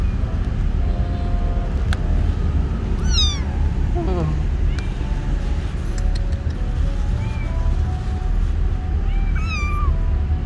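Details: Kitten outdoors for the first time, confused, calls with thin high meows: one sharply falling, then a run of quick descending cries, and a final arched meow near the end, over a constant low rumble.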